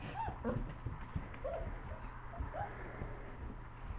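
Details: Four-week-old German Shepherd puppies, from parents Anika and Yacco, play with adult dogs DJ, Tisha and Puggy. Several short, arched, high whimpering squeals come at irregular intervals over a low rumbling, thumping background.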